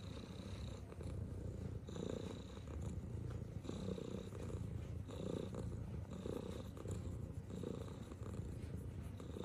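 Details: Tuxedo cat purring steadily while giving love bites, a low continuous rumble with soft rhythmic pulses swelling every second or so, close and intimate, with faint light rustling above.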